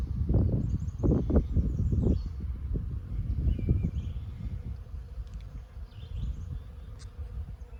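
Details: Honey bees feeding on lilacs give a low, droning buzz that swells and fades in uneven bursts as they fly near, with faint, high bird chirps and a soft rustle in the background.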